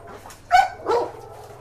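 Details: Dog raging on meeting a pitbull that had bitten a household helper: two loud, sharp barks about half a second apart over a steady low hum, with a faint whimpering tone between.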